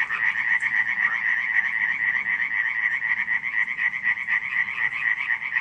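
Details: Night chorus of frogs at Radziszów, July 2015, many callers croaking together in fast, evenly pulsed rattles that merge into a continuous buzzing drone throughout.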